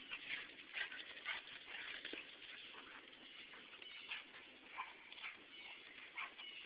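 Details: Two dogs, Maisie and Sealy, romping in play right after meeting at 8am; high, thin whimpers and yips come in irregular bursts, roughly two per second, over scuffling play noise.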